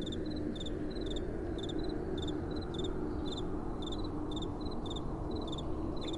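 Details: Nocturnal crickets give rapid, clipped high chirps, two slightly different pitches overlapping in a regular rhythm, while gentle wind hisses and rumbles low underneath.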